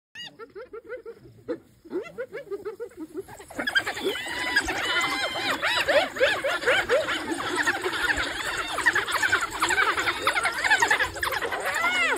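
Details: African wild dogs (Lycaon pictus), painted dogs of sub-Saharan Africa, in a chorus of high, squeaky, bird-like twitters and chirps, overlapping rapidly.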